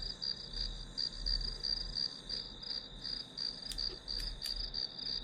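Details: Grass insects heard as study white noise, giving rapid, evenly spaced high chirps about three per second above a constant shrill tone. A few sharp clicks break in near the end over a low background rumble.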